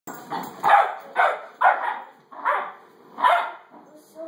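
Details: Pet dog barking: five sharp, harmonic barks in a loose series about half a second apart, then a short pause before the last bark. The room is otherwise quiet.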